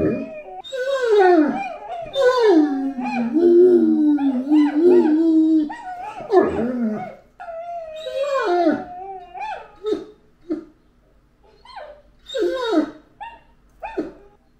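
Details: Great Dane named Anúbis, a pet dog, giving a long wavering howl that slides down and holds low for several seconds, then breaking into a series of short, spaced barks and yelps toward the end.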